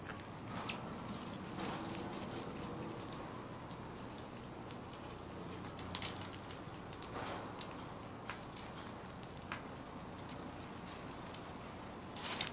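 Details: Round-tailed ground squirrel Bubba, ready for hibernation, gives scattered, sharp, very high chirps at irregular intervals, several in quick pairs, amid light rustling and tapping noises.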